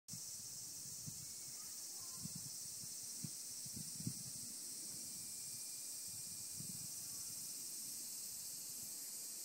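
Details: Various cicadas, among them higurashi, calling together in mountains: a dense, steady, high hissing drone that continues unbroken throughout, with soft low thumps and rustles underneath.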